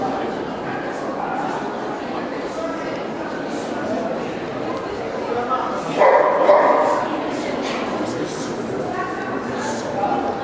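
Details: Black Russian Terrier at a dog show in Kyiv, Ukraine, June 2010: a burst of loud, deep barking midway, with softer yips and whimpers before and after, over constant crowd chatter and people talking.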